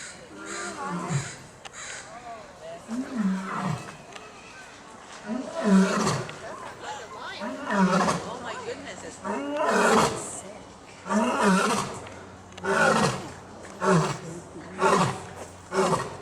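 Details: An African lion at Seattle's Woodland Park Zoo roars and huffs, a series of deep, grunting roars, each burst trailing off about every two seconds.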